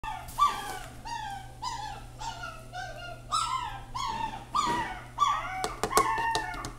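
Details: Shiba Inu giving a series of high, whining yelps that slide downward, repeated in quick bursts, ending with a few sharp clicks and knocks, indoors with a steady low hum.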